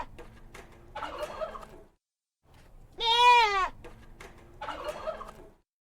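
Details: Domestic goat with one loud quavering bleat in the middle, wavering in pitch, between two softer, rough, breathy calls.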